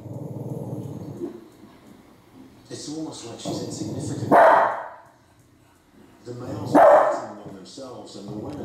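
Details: A female Cavalier King Charles Spaniel barking at Alaskan grizzly bears gives two sharp, loud barks a couple of seconds apart over a man's narration about big male bears.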